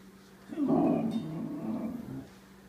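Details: A Yorkshire terrier gives a rough, rumbling growl that swells quickly and fades after about two seconds, while stealing food from a Siberian Husky.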